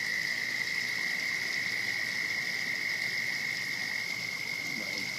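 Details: Frog in a pond also inhabited by a turtle, heard as a continuous, fast-pulsed, high buzzing trill at constant pitch, moderately quiet over a faint hiss.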